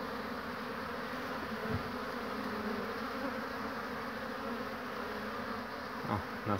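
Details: Honey bees at their hives on 22 March 2019, workers returning laden with pollen and resting: a dense, steady buzzing hum from many bees, with a faint low drone beneath and a brief knock near the end.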